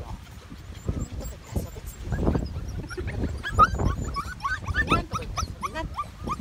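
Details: Medium poodle puppies, recorded June 28, 2018, give short rising whimpers and squeaks, scattered and uneven, over low rumbling handling noise and faint voices.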